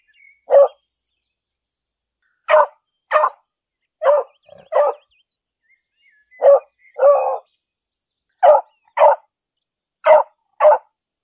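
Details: Beagle barking loudly in a city park during a walk: about a dozen short, punchy barks, mostly in pairs about half a second apart, with brief silences between bursts.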